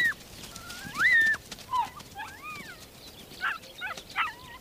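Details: Ethiopian wolf pups at the den anticipating the returning adults: repeated high, wavering whines and yelps, some rising then falling in arcs, others short and clipped, in bursts over several seconds.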